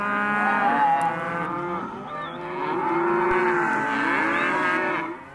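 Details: A group of Hereford and Careta calves, male and female, offered as one lot at a livestock sale, mooing together in a dense chorus of overlapping, drawn-out bellows, some rising and falling, with no pause throughout.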